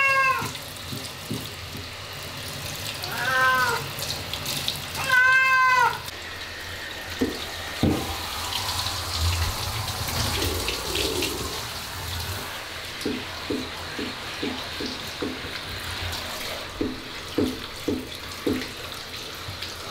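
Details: Ragdoll cat that hates baths, screaming while being bathed at the end of the year: three loud, drawn-out wailing meows rich in harmonics in the first six seconds, then running water, splashing and soft clicks.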